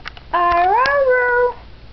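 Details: House dog practising "I love you" utters a single smooth, moaning vocal phrase just over a second long, pitch rising gently then settling, inside a small room.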